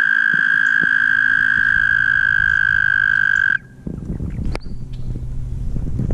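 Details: Toads in a mating chorus at Guildwood waterfront, passed while riding: a long, steady, high musical trill with faint overtones holds for about three and a half seconds, then stops abruptly, leaving low rumbling wind or traffic noise and scattered clicks.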